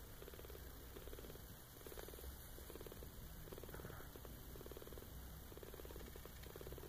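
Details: Eleven-day-old Maine Coon kitten purring quietly, a soft low rumble pulsing in steady rhythmic bursts under a constant faint hiss.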